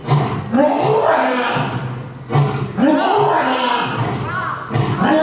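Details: Captive lion pair, male and female named Hayate and Oto, at Nonhoi Park roaring in turn: loud, deep bursts repeating about every two and a half seconds, with crowd voices heard alongside.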